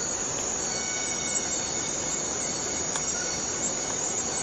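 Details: A constant, shrill insect buzz from a Borneo rainforest cicada, steady and dense, with a few faint tonal streaks through it.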